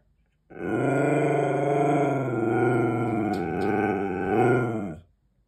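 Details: Husky talking back to its owner for treats: a single drawn-out, warbling howl-like moan lasting about four and a half seconds, slightly undulating, with a brief swell near the end.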